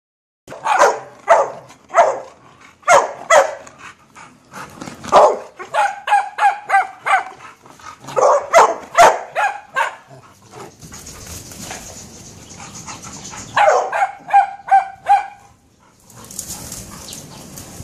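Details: Dog barking during a game of fetch: bursts of sharp, loud barks in quick runs, some with a higher yelping ring, then a short pause with faint background hiss before a final run of barks.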